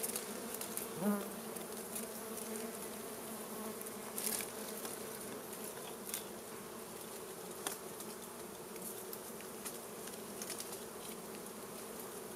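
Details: A steady, thick drone comes from a swarm of wild honey bees disturbed by smoke from a small fire during a honey harvest, with occasional soft knocks and crackles over the hum.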